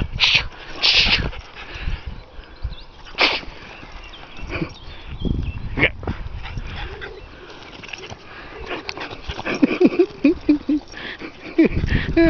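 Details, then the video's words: French Bulldog having a happy, jolly play session before the day warms up; irregular bursts of snorting and huffing, with brief higher whining tones toward the end and faint voices in the background. "Happy Frenchie"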